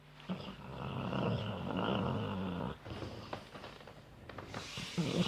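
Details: A sleeping dog snoring: one long, rough, low rumbling breath of about two and a half seconds, followed by softer, irregular breathing noises.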